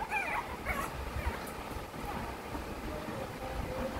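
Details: Male Shih Tzu puppy whimpering: thin, wavering high whines in the first second, then fainter drawn-out whines later, over steady low rumbling background noise.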